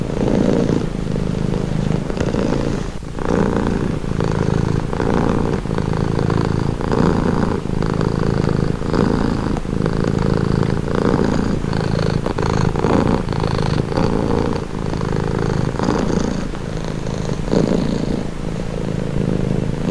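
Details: Calming cat purr, a long steady low rumble with rhythmic breathing swells around once per second, intimate and close, occasional faint clicks, nothing else audible.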